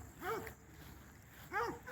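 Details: Hound dogs racing a dog named Lucy along a fence give two short arching barks or bays about a second apart, with quiet outdoor background between them.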